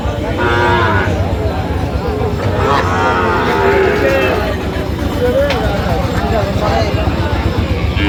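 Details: Sahiwal bull calves at a livestock market in Brahmanbaria, Bangladesh, recorded 19 December 2025: several overlapping low moos with stacked harmonics over steady crowd chatter and bargaining voices.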